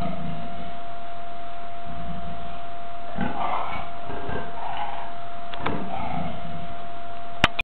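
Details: A captive Amur leopard, waiting to be let out into its enclosure during daily cleaning, gives a few rough, breathy grunts over a steady electrical hum.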